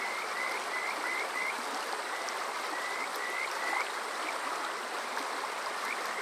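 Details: Kajika frog on a summer night at Water Park Shirayama, Yokoze, Chichibu District, Saitama, Japan, recorded with a TASCAM DR-05X: faint short rising whistled notes in loose runs over a steady rushing stream.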